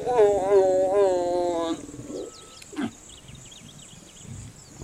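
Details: A young male lion with a small mane, in Africa, gives a harsh, wavering snarling growl while mating, then falls quiet.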